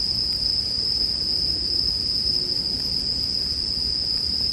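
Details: Bell crickets, mixed with campfire sounds, give a steady, high, ringing trill that holds on one pitch without a break, over soft low rumble and faint crackles.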